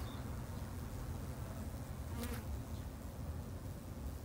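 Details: A low, continuous hum from Japanese honey bees at a garden hive, even and unbroken over a few seconds, with a brief faint bird note near the start.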